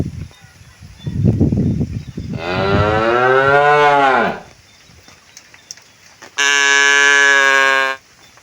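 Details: Village cattle walking home to the pen: after low rumbling, one long moo that bends upward then falls over two seconds, followed by a second flat, steady moo about a second and a half long.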